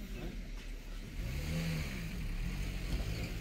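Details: A vehicle engine rumbles low and steady, rising slightly as it revs. No animal voice is audible.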